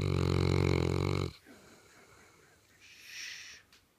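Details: Misha, a female St. Bernard asleep on the couch, ends a heavy, low rumbling snore after a second and a half, followed by soft breathing and a faint wheezy exhale.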